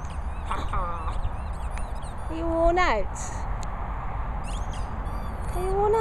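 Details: Jorjie, an Airedale Terrier, gives thin squeaky whines, one rising then sliding down in the middle and another rising at the close, with a person talking and outdoor background rumble.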